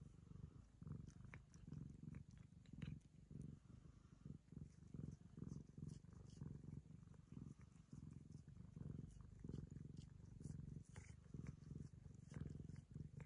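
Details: Ragamuffin cat purring steadily while licking a girl as a show of affection; deep pulsing rumble throughout with scattered licking and rustling clicks.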